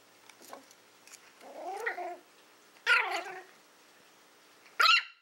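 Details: Willow, a female Toy Fox Terrier born in April 2012, at play indoors with a pig's ear: short grumbling growls with wavering pitch, then two sharp high yips, in a quiet room.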